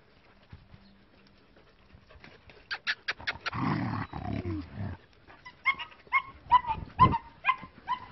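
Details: Short-haired working-line German Shepherd puppies, bicolour and black, in a quiet start, then a quick run of sharp barks over a rustling scuffle, followed by high, squeaky yelping yips repeated about every half second.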